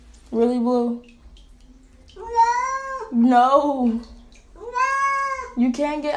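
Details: Domestic cat indoors giving four long, loud, drawn-out meows, each swelling and wavering in pitch with a slight falling end, separated by brief pauses, over a faint low background hum.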